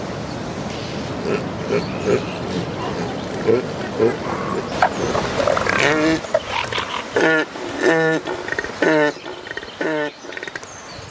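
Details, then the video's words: Wild northern elephant seals on the remote shores of Ocean Beach during mating season; after six seconds deep, throbbing, harmonic pulsed bursts come in a rapid series of about five, over steady surf rush with softer grunts earlier. "Elephant Seal Mating Ritual in the Wild"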